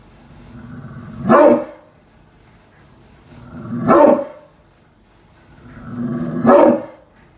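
A pit bull gives three loud, rough barks, each swelling out of a low rumble, spaced about two and a half seconds apart.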